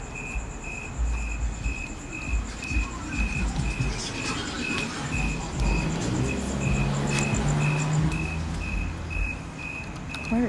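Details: A single loud cricket hidden near a house window chirps steadily, with clear high pulses repeating about twice a second over a low rumble, while people search for it.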